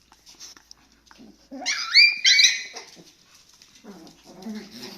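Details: Shiba Inu puppies playing with and around their mother at a breeder in the Netherlands; one pup gives high, harmonic whining yelps that rise and bend for about a second, then soft, low grumbling squeaks follow.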